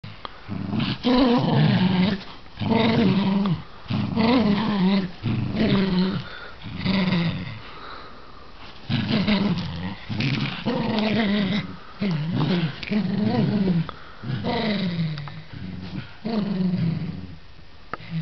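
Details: Poodle at play growling indoors in a small room: deep, rough growls in bursts of one to two seconds, repeated steadily with short pauses throughout.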